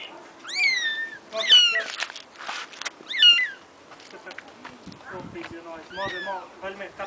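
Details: Mother cat coming to rescue her kittens: a few sharp rising-falling meows early on, then softer, rougher mews among clicks and rustling noises, with quieter wavering cries near the end.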